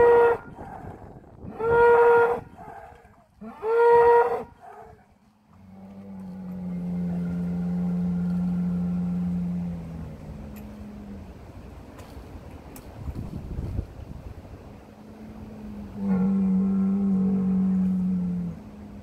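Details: Heck cattle in the Kottersbos, Oostvaardersplassen, Nationaal Park Nieuw Land, on 10 March 2021, during a feeding action for the undernourished herd. Three short, higher bellows come first, then a long, low, steady moo and a later moo near the end.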